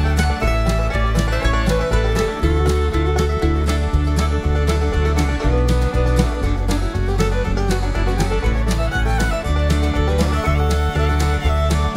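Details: Lively bluegrass tune with fiddle, guitar and banjo over a steady bouncing bass beat, about two beats per second, loud and continuous with no animal voices.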